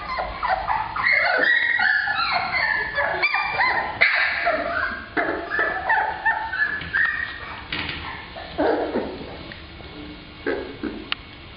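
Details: A group of young black Labrador Retrievers, females, whining and yipping at once. Thin harmonic whimpers bend up and down and overlap steadily, loudest early on and thinning toward the end.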